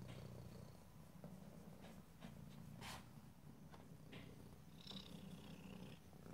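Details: Domestic cat purring steadily in stereo, a low continuous rumble with faint clicks and brief brighter rustles over the top.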